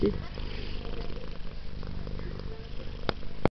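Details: Female pet cat purring as she is petted and scratched behind the ears and under the chin, a deep, steady, rumbling low pulse running throughout like a helicopter, with a few soft clicks and rustles near the end.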